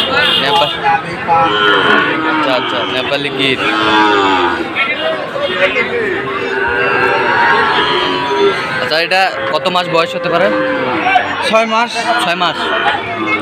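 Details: Sahiwal bull calves at Ambari cattle market in Sylhet, Bangladesh, on 2 October: several animals low in overlapping, wavering moos throughout, some rising then falling, over steady crowd chatter and brief sharp knocks.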